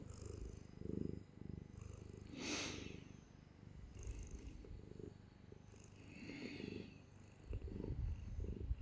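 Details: Clingy domestic cat held in someone's arms, purring steadily: a low rhythmic rumble swelling and fading with each breath, interrupted by a short burst of rustling in the middle.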